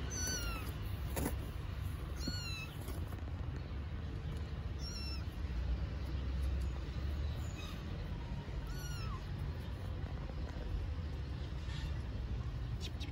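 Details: Starving street kittens in Istanbul waiting for food cry with repeated short, high-pitched meows, about five spaced calls over thirteen seconds, each bending downward at the end, with constant low city traffic noise underneath.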